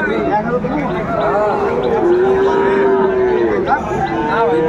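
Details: Young Sahiwal bulls for sale at a busy livestock market on 16 April 2024; a long, steady, flat moo of over a second stands out amid overlapping calls from other cattle and constant crowd chatter.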